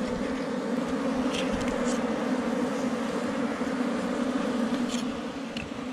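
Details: Honey bees of a wild hive beneath rocks in the forest, gathered by a honey hunter: an intense, unbroken buzzing roar, deep and steady, with brief faint ticks scattered over it.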